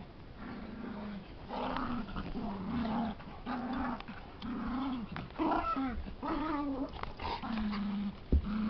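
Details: Two dogs wrestling in play, a puppy and a big dog, the puppy making funny noises: low rumbling growls in repeated bursts, with higher whining yips and squeaky cries toward the end, and a sharp knock near the close.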